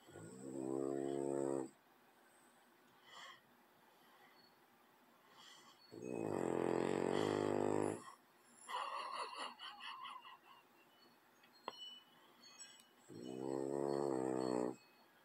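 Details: A French bulldog, sleeping beside a cat, snores in long, rasping, buzzy breaths spaced several seconds apart.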